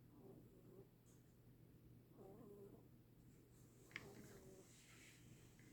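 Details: A snoring rabbit gives low, wheezy breaths in slow rhythm, each rough snore lasting about half a second and coming roughly every two seconds, with a quiet constant hum behind.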